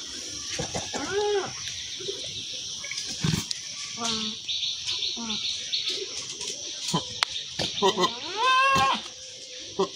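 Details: A she-goat and a billy goat, shown together. There is a short quavering bleat early on and a longer, rising and falling bleat near the end. People talk and handling noises are heard in between.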